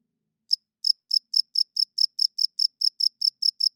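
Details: After half a second of quiet, a cricket starts chirping at night, a crisp high-pitched chirp repeated about four times a second, fourteen in a row with no other sound around.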